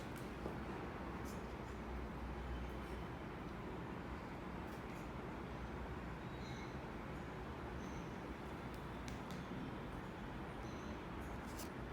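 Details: A steady low rumble like passing traffic or a train, with faint clicks and no animal voice.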